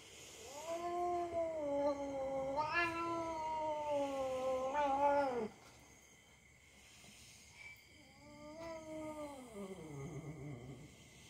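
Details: Cat play-fighting with a young dog it trusts, running off when it has had enough: an extended wavering yowl lasting about five seconds with rising surges, silence, then a shorter cry sliding down into a growl.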